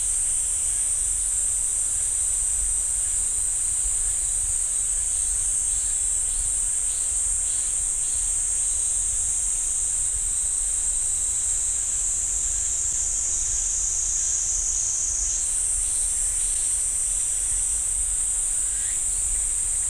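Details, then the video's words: Pine forest cicadas at Jirisan National Park's Ssanggyesa temple, Korea, keep up an unbroken high-pitched buzz. Faint pulsing notes sit beneath the drone, and near the end its pitch shifts slightly higher. "지리산 쌍계사 소나무 숲 매미 소리"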